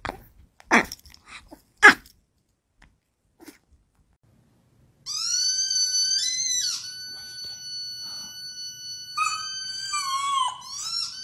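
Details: Chihuahua indoors after two sharp clicks, then a long, high, steady whining howl that holds one pitch for several seconds, dips, and rises again toward the end.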